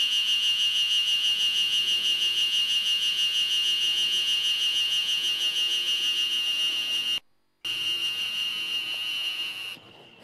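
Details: Ezo spring cicadas in a loud spring chorus in Hokkaido, making a steady, shrill, high-pitched drone with a fine, rapid pulsing.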